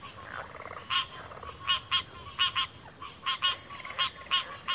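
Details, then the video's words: Frogs chorusing with loud, sharp pulsed croaks, often in pairs, spaced irregularly over a few seconds, softer callers and steady hiss behind. "FROGS - Pig Frogs, Water Frogs, Backwater Chorus, & Frog Chorus"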